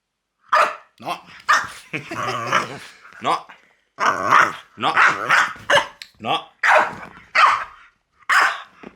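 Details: Loki, a pet French Bulldog, producing a dense run of whiny, yodel-like grumbles and moans, around nine bursts in nine seconds, including a longer rough growling stretch near the start.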